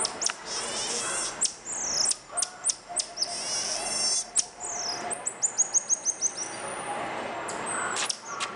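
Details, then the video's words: Mico, the common marmoset, giving weird vocalizations: rapid high twittering pulses, then a neat run of about eight evenly spaced chirps near the end, punctuated by sharp clicks, with a faint drawn-out whistle and constant hiss behind. "Callithrix Jacchus doing weird noises"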